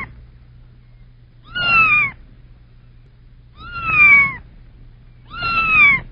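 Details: A kitten gives three high, thin meows about two seconds apart, each slightly falling and harmonic-rich, against a faint low hum.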